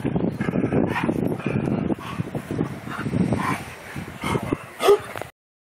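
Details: Two big dogs at play, producing rapid low grunting barks and yips in a busy run, ending with a louder yelp just before the sound cuts out.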